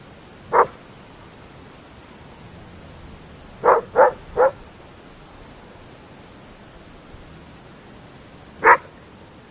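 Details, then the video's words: Belgian Shepherd Groenendael dogs at night in open fields: isolated sharp barks, a single one, then a quick triple, long silence and another bark, over a quiet background. "Dogs barking at night in open fields Belgische Herdershond Groenendaler"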